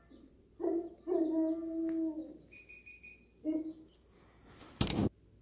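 A Siberian Husky gives drawn-out, wavering howls, with a shrill squeaky tone and a sharp clatter between them.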